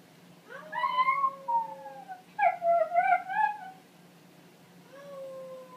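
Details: Italian Greyhound vocal warm-up: a rising whine that bends into a sustained, slightly falling howl, then a warbling, wavering phrase, and after a pause one more soft, steady tone.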